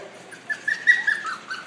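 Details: Seven-week-old Welsh Terrier puppy giving a thin, high whistled whimper in several short broken pulses that run together, squeaky and wavering, in a quiet indoor room.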